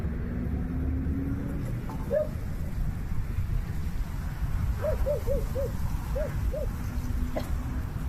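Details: Motherless newborn puppies found in the jungle give short arched whimpering cries, one alone and then a run of six in quick succession, over a loud steady low rumble like an engine.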